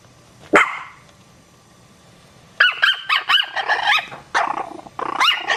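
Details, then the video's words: Puppies barking: one sharp, high yap, then a pause of about two seconds, then a quick run of shrill, squeaky yaps and yelps for nearly three seconds, with a brief break near the end. "Cute Puppies Barking"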